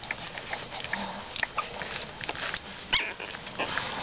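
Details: Boston Terrier puppies 15 days old snuffle and grunt, with a few brief high squeaks breaking through.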